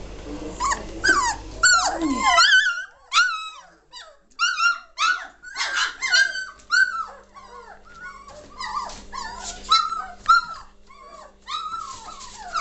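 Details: German Shorthaired Pointer puppies aged 3 weeks 1 day, recorded 22 May 2014 as the litter grows lively and noisy; a steady chorus of short, high squeaks and rising-falling whines, overlapping yelps from several pups throughout.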